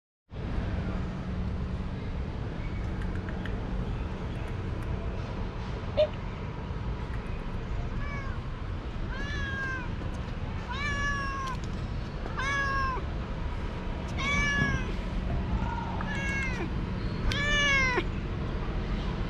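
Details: Young cat, full of energy, playing with a moth; a run of short, arched meows from about eight seconds on, several clustered together, with a steady low hum and background noise throughout.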